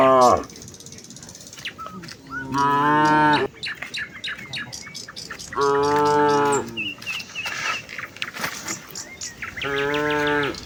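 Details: Village cows in a herd heading for the fields on a morning walk. Three loud, sustained moos, each over a second long, come a few seconds apart, with birds chirping and tweeting throughout.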